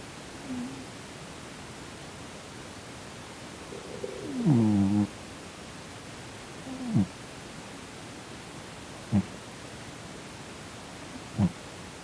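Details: Sonny, a chubby male Korean shorthair cat, twitches and snores in his sleep indoors, perhaps in a nightmare; short low voiced grunts with a bent, falling pitch come at irregular intervals of about two seconds, separated by quiet room hiss.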